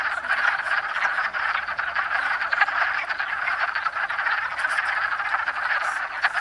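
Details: A dense chorus of wood frogs (Rana sylvatica) calling and in amplexus in south central Pennsylvania on 7 March 2009, with many overlapping duck-like clucking calls blending into a continuous chatter.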